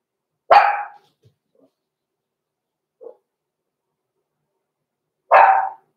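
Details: Six-week-old blenheim Cavalier King Charles Spaniel puppies, Roman and Blue, born November 14, 2022, in an indoor puppy pen; two short, sharp barks about five seconds apart, with a faint yip between them and quiet otherwise.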